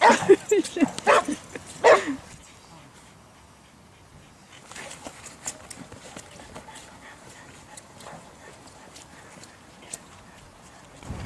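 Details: During training for breed character tests at a canine centre in St Georges d'Orques, a Boxer gives a quick burst of four barks within two seconds. A long, quiet stretch follows, with faint voices and small noises.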